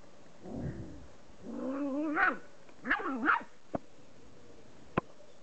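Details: Golden Retriever puppies in a moment of relaxation give wavering, high whimpers and whines, followed by a couple of sharp clicks.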